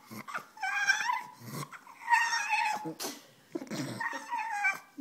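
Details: A female French Bulldog whines in high, wavering bursts, begging for her bone as she is offered it.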